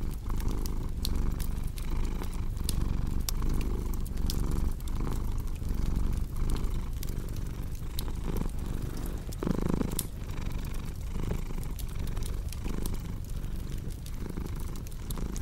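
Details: Steady rumbling cat purr, breathing cycles audible as gentle swells, accompanied by irregular crackling and occasional louder snaps from a burning fireplace.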